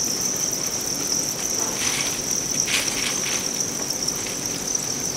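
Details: Winged commercial Thai crickets in Vietnam, carried by a Hòa Bình customer to a cricket farm for sale, give a continuous high-pitched chirring drone, broken by scattered dry clicks and rustles.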